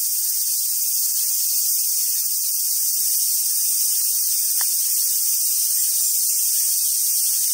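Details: Steady shrill cicada chorus in summer on Awaji Island, Hyogo, Japan, near free-ranging Japanese macaques: continuous high hissing buzz without pauses, one brief tap midway.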